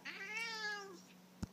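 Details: Siamese cat trying cheddar cheese for the first time gives one clear, drawn-out meow, nearly a second long, rising slightly and then falling, rich in harmonics, followed by a short tap in a quiet room.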